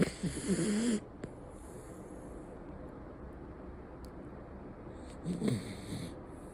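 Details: Miniature Schnauzer named Hijiki snoring while sleeping deeply: two rough, breathy snores around one second each, low and raspy with some higher hiss, separated by several seconds of quiet room noise.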